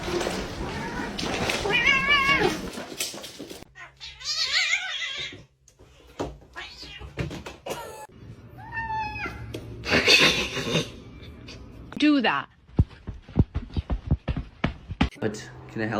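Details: Domestic cat giving several drawn-out, wavering meows and yowls, some rising then falling, separated by pauses and thumps, with a person talking over parts of it.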